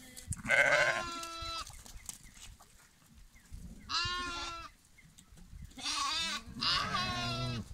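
Four harsh, quavering bleats come from sheep, each lasting under a second, the later ones wobbling in pitch. Quieter gaps between the calls carry a low background rumble.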